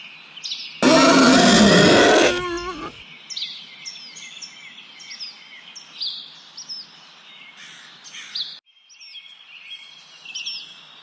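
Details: Wild boar giving one loud, harsh, rasping squeal lasting about a second and a half, then falling silent while small birds keep up high, repeated chirps and whistles in the background.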